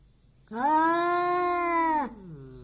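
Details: Quarrelsome domestic cat, angry and eager to fight, holds one steady, level yowl for about one and a half seconds before it drops away.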